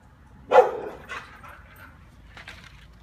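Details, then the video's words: A single sharp bark from Kiefer, the lonely neighbour's dog who comes over to play, followed by fainter, shorter yips fading into a quiet room. "Kiefer wants to come and play"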